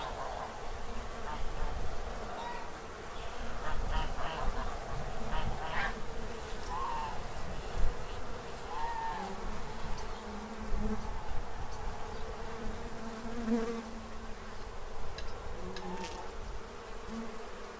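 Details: Bees in Central Illinois feed from a tray before winter; a dense low drone of wings runs throughout while farm birds such as geese and ducks call intermittently in the background.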